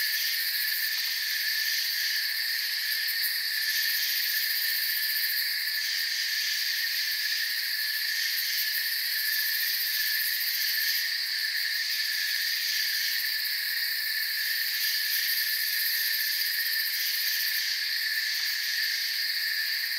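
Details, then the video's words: Many crickets chirping together in a forest setting, a constant bright drone of trills at several pitches, occasional brief swells in the top layer, level never dropping, no birds, wind or voices. "Forest Sounds and Crickets for 10 hours"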